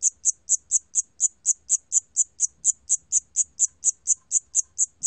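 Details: Siamese cricket from the National Institute of Biological Resources, 2020: bright, high-pitched chirps repeated rhythmically about four times a second, with only a faint low background hum.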